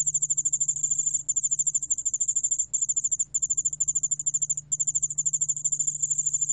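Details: A Korean cricket species (여울알락방울벌레) sings a high, rapid, continuous trill of tiny pulses, broken by brief pauses.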